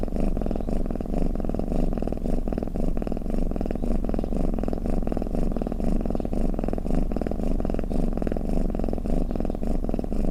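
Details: Sleeping-style cat rumble: a dense, grainy low purr with soft rhythmic surges on each inhale and exhale, nothing else audible.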